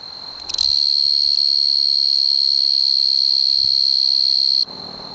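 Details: A male tree cricket (Oecanthus sp., probably O. quadripunctatus, four-spotted tree cricket) singing in the Oldman River valley, Lethbridge, Alberta, gives a steady, high, pure-toned trill that holds unbroken for about four seconds.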